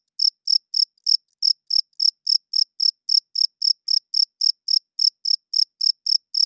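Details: Male crickets chirping at night to court females and mark territory, shrill short pulses in a regular run of about four per second, with a couple of slightly irregular spacings early on and no other sounds.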